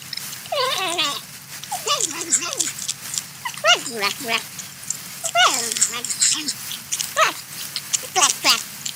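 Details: Corn-eating porcupine making repeated whiny, baby-like cries that slide downward with a wobble, roughly every one to two seconds, over a background of crackly chewing sounds.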